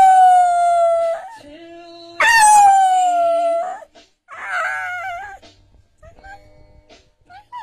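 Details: An English Bull Terrier, prompted by its owner to sing, howls along to an Ed Sheeran song in long, sliding tones that fall gently and break into wavering cries.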